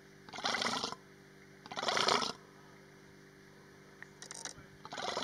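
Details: Female Persian fallow deer in estrus at Hai-Bar Carmel, Israel, recorded 29 August 2019: four harsh, broadband, rasping bursts, the first two loud and under a second long, then two shorter ones, over a steady low hum.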